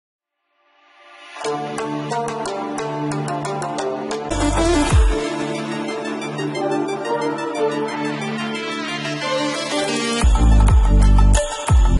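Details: Loud electronic theme music fades in after a second of silence and builds with driving synth chords and a heavy bass hit near the end.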